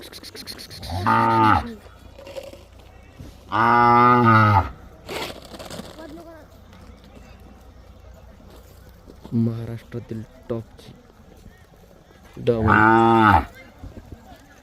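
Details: Mysore/Khillar calves tethered in a row at Gondgaon, Gevrai taluka, Beed district, Maharashtra: four separate deep, harmonic moos spaced a few seconds apart, the second and last the longest, with quiet background noise between them.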